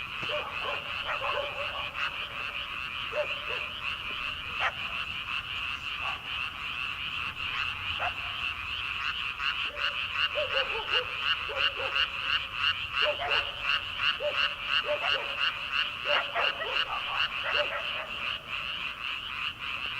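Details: Early-summer chorus of frogs in rice paddies at night before rice planting, an unbroken wall of fast pulsed croaks growing denser midway, with scattered lower hooked calls from nearer frogs.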